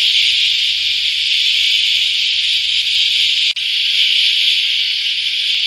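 A loud cicada chorus makes a continuous, shrill, sizzling drone, high-pitched and even throughout. The sound breaks off for an instant partway through, then resumes unchanged.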